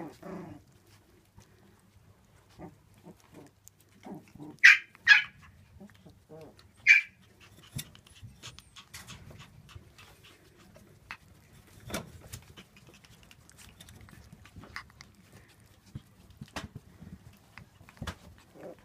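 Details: Young Shiba Inu puppies at a breeding kennel, born 8 May 2016. Mostly quiet scuffling and clicks, broken by three sharp, high, ringing yelps close together in the first half.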